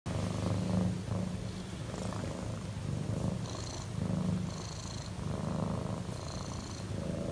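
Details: A relaxed cat purrs very loudly in a continuous deep rumble with a soft pulsing texture. Faint higher tones come and go briefly in the background.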